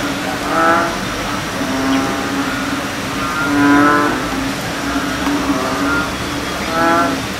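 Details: Several American bullfrogs calling together: deep, resonant, cow-like droning croaks rich in harmonics, swelling in overlapping bursts about every one to two seconds, over a steady low background hum.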